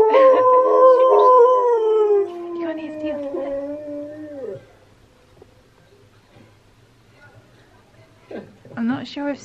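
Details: Husky singing: Steel the husky's howl, as Key, another husky, reacts with head tilts. One long, smooth, harmonic howl holds steady and then slides downward over about four seconds. A quiet gap follows, then brief broken vocal sounds.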